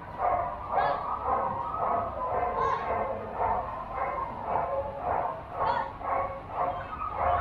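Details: Quick repeated yapping barks, roughly two per second, from a Border Collie at the 2021 junior agility competition at Doggiedoo Rangsit, 21 November, with people talking underneath.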